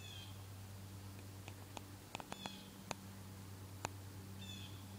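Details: A cluster of many wasps on a small goldenrod plant makes a continuous low, steady humming buzz, broken by sharp clicks, with a thin, high bird chirp at the start and end.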